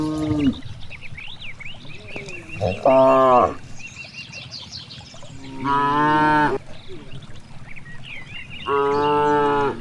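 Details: Several cows grazing in a vast rice field low repeatedly, about every three seconds: short bright moos with strong harmonics, between them soft bird chirps and field rustle.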